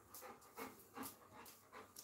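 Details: Coco, a pet Labrador retriever, panting in quick breathy bursts roughly every third to half second, soft and airy with no voiced tones, while being called toward someone indoors.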